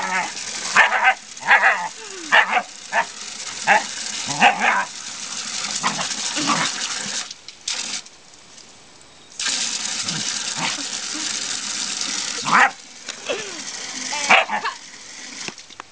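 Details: Scottie in a front yard reacting to a hose and nozzle with scattered barks and yips, over a steady hiss of spraying water that stops briefly midway and then resumes.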